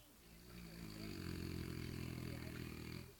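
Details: French Bulldog Jean Paul snoring on command: one rasping, finely pulsed snore of about two and a half seconds with deep harmonic tones, swelling in and fading out, while a man urges it in Portuguese before and after.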